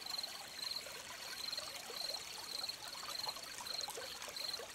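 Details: Crickets by a running stream, giving shrill pulsed chirps spaced about half a second to a second apart, some slightly irregular, over a loud, even gurgle of trickling water.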